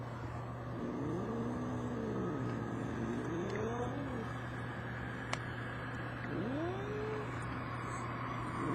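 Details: Two brother cats from the same mother argue, trading rising-and-falling drawn-out yowls, several arching cries overlapping across the stretch, with a steady low hum and broad background rumble throughout.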